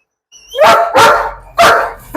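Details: German Shepherd in Perumbavoor, a trained dog closely attached to its owner, barking with its owner standing nearby: three loud, harsh barks in quick succession, each short and broadband, with brief gaps between them.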